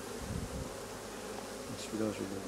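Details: Honey bee colony humming at a hive during work replacing drone-laying colonies; a steady low, dense buzz fills the recording, with a brief voiced, tonal sound rising above the hum near the end.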